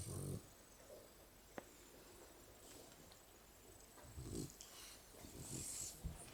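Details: Three Shar Pei dogs, Botox, Jasmine and Peewee, sleeping and cuddling together: soft low rumbling snores come in short bursts at the start and again near the middle and end, with breathy hiss over a quiet background.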